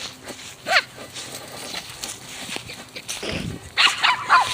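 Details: Miah, a female pet dog playing soccer outdoors by hitting a ball with her nose, gives a few short harmonic barks and yips, one near the start and a cluster at the end, while a woman's voice urges her to play.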